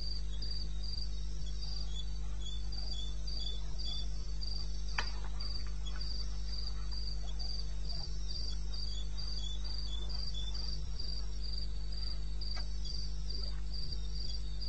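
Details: Night chorus of crickets in eastern Botswana wilderness, 2:30 am on 21 May: rapid, evenly spaced shrill pulses run throughout, a fainter lower-pitched caller beneath, a few soft clicks and a steady low background drone.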